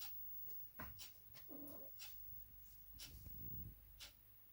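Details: Sleeping domestic cat snoring, two low raspy snore breaths with a faint nasal whistle on the first, separated by quiet pauses and scattered small clicks.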